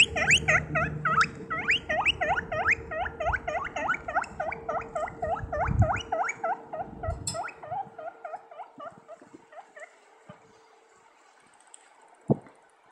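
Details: A guinea pig running around gives a rapid series of loud, high, rising squeaks that fade away.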